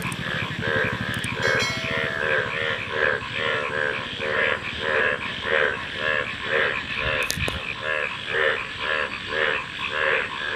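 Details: Frogs calling in a dense chorus: rhythmic croaks repeated about twice per second, layered with a low rapid rattling drone and a few sharp clicks and knocks.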